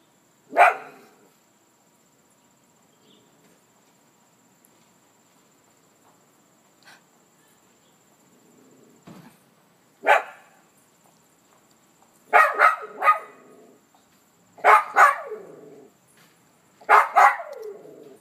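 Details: Toby the Maltese barks excitedly on seeing his owner arrive: one bark, a long pause with soft sounds, then clustered double and triple barks coming faster toward the end, over a faint steady high hum.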